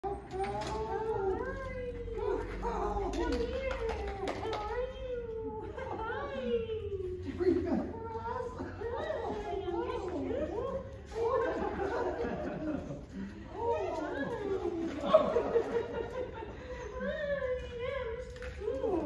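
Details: Coco, a Siberian Husky, reunited with her owners, gives a long run of excited whines and yelping howls that rise and fall in pitch, tumbling over one another, while people talk and exclaim around her.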